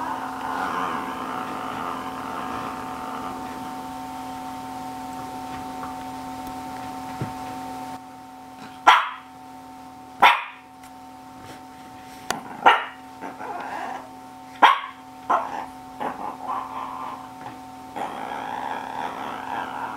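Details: Shih Tzu named GGung barking in a series of short sharp yaps spaced one to two seconds apart, with a steady electrical hum and room noise between.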